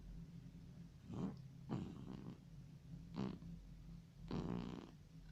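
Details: Domestic cat sleeping deeply and snoring: soft, low rasping breaths in four separate bursts, spaced about one to one and a half seconds apart, over a quiet steady background hum.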